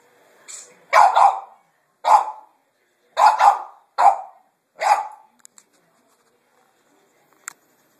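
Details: Boston Terrier barking at a vacuum cleaner indoors, recorded on a phone: six sharp, high barks, some doubled, spaced about a second apart, then quiet with faint clicks.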